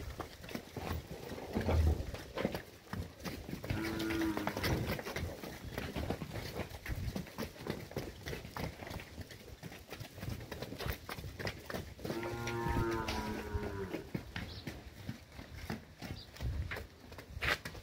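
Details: Girolando heifers and young heifers, fourteen animals aged 14 to 20 months, in the Fernandópolis region of São Paulo, Brazil, utter two drawn-out lowing moos, a fainter one then a louder one, amid constant broadband rumbling noise.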